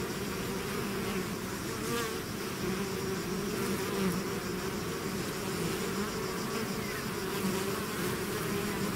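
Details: A bee swarm leaving its hive creates an unbroken, even buzz, deep and layered, with scattered higher whines from single bees flying near.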